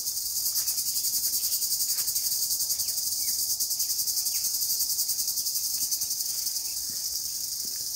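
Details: Crickets calling in Kolargaon village, Dinga Manik union, late in the month of Falgun; a continuous high shrill chorus with a fast pulsing throb, steady throughout, with faint scattered clicks beneath.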